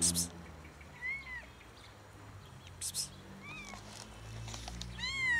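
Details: A warm, friendly cat that approached to ask a favour gives three short arched meows, each rising then falling, spaced about two seconds apart, over a low steady hum with a few brief rustling bursts.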